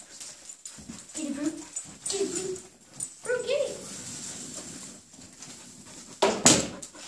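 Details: A German Shepherd puppy and a wheaten Terrier at play indoors: short, rising whimpers and whines in three bursts across a few seconds, with human voices talking between them and a sharp knock near the end.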